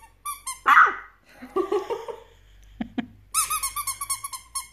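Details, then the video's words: A 23-day-old puppy, three weeks old, gives its first bark: high squeaky whimpers, then a single sharp, loud yelp-like bark, more scattered yips, and a fast run of rising and falling squeals at the end. "CUTE 3 week old puppy Dustin's first BARK"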